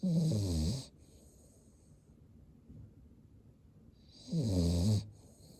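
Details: A sleeping Cavalier King Charles Spaniel, eyes rolled white, gives two loud, low, rattling snores about four seconds apart, each trailing into a breathy hiss, with soft breathing between them.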